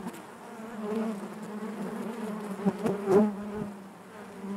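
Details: Honey bees buzzing inside their hive: a steady, dense drone with a strong low hum and overtones, swelling and fading slightly, with a few brief clicks and knocks near the three-second mark.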